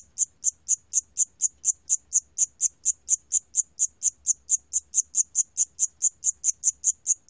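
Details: Recorded in 2020, a Siam cricket chirps continuously: high, thin pulses in a quick even rhythm of about four per second, with faint low background hum.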